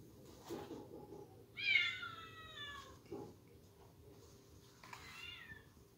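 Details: Bengal kitten indoors giving a drawn-out, wavering meow lasting over a second, then a shorter second mew a few seconds later, with quiet room hum and a couple of soft thumps.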